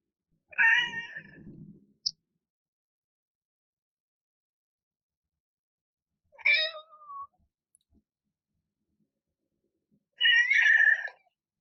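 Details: ['Indoor domestic cat vocalising while yawning, three short harmonic meow-like yawns spaced several seconds apart, with a faint click between the first two.']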